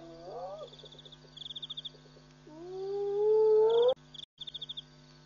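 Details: At Pete's Pond in Botswana's Mashatu Game Reserve on a June 2013 night, an African civet gives a short wavering cry, then a long smoothly rising tonal call, with chirping insects and a constant low hum behind.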